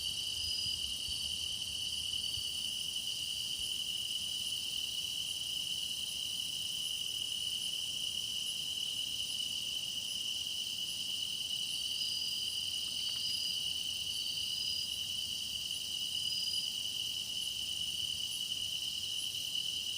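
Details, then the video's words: Grass insects sing steadily in a meditation recording. A dense, high ringing drone never pauses, faint high ticks repeat at an even pace above it, and a short click comes around the middle. "깊어가는 풀벌레 노랫소리"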